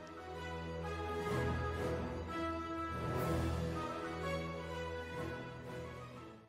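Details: Only instrumental music with sustained tones and a steady low bass is heard, with no animal calls.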